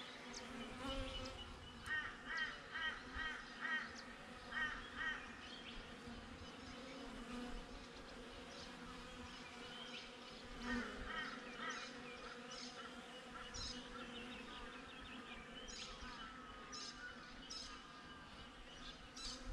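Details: Steady low drone of honey bees at a beehive, recorded with a GoPro placed outside the hive; the hum runs continuously while birds call overhead, including a run of quick repeated chirps early on and honking calls.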